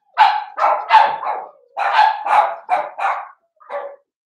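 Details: Seven-week-old Cavalier King Charles Spaniel puppy from a blenheim litter of five, barking in its home puppy pen. About eight sharp, high-pitched barks in two quick clusters, then a single softer bark after a short pause.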